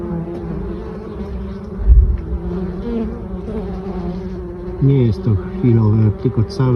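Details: Honey bees foraging on mustard pollen in October: a continuous low drone of the hive, with a thud near two seconds and a burst of close, swooping buzzes from passing bees at the end.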